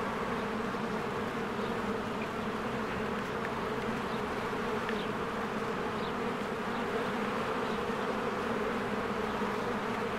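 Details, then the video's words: Bees busy at a hive in spring while flowers bloom and trees turn green: a continuous, low, uniform buzzing over ten seconds, with scattered faint, short high bird chirps. "1 Hour of a Beehive ASMR | A Spring Nature Ambience Sounds"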